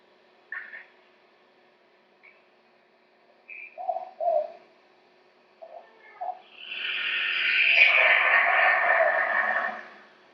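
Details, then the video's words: A yellow-bellied glider at night in southeast Queensland gives its distinctive call: short high yelps and low grunts, then a long harsh gurgling shriek. "Not a lot of eye shine, but the way you recognize a yellow-bellied glider is its call. So yeah, that's"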